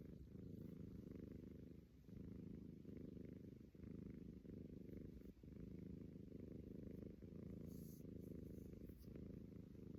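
A Persian cat snores in a steady, low, rumbling rhythm, each breath drawn out and close.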